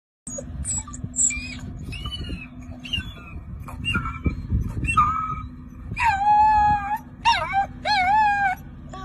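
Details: Gray wolf (Canis lupus), pup howl.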